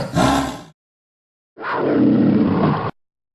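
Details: Big cat roaring: two harsh, rough, noisy bursts, a short one under a second followed after a silent pause by a longer, steady growling roar of about one and a half seconds, abruptly cut off.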